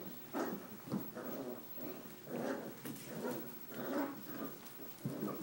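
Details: Six-week-old Australian Shepherd puppies playing after bath time and chewing on towels; rough, low growly yips and whines come in short bursts roughly every second, with soft rustling between them.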